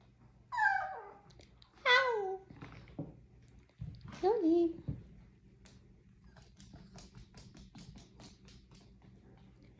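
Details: Sassy Chihuahua whining indoors in a small room: three high, descending whines with stacked harmonics, a quick rising-falling yelp between, then quiet with faint tapping.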